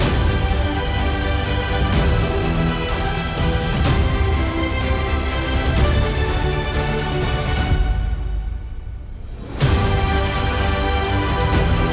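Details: Dense theme-style background music that dips briefly to a low swell near the ninth second, then resumes, with no animal sounds.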